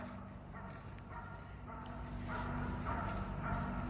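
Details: Kuzya, a ten-year-old Border Collie, at a celebratory birthday training: four or five short, bright barks spaced irregularly over a few seconds, over a low background hum and voices.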